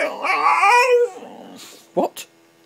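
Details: Female boxer dog grumbling back while her owner scolds her, a rising and falling moaning vocal lasting about a second, followed by short sharp noises and a woman's voice telling her to get out.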